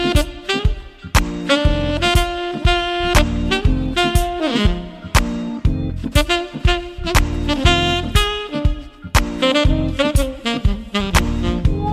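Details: Upbeat swing-style jazz plays throughout, led by a saxophone over a steady bouncing rhythm, with no animal sound heard.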